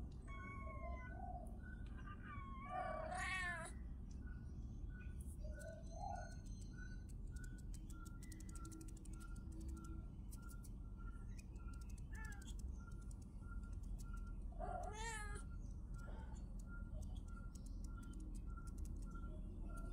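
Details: Kittens giving two bursts of wavering, high-pitched meowing, one early and one about twelve seconds later, separated by quieter stretches with faint clicks, a constant low hum and a regularly pulsing tone.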